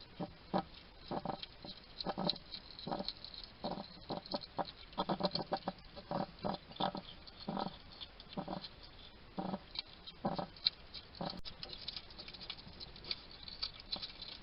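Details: Wild male hedgehog chatting to himself while eating at a garden feeding station in Somerset, UK: short, rough snuffling and grunting bursts in irregular clusters, several per second at times, with faint crunching between them.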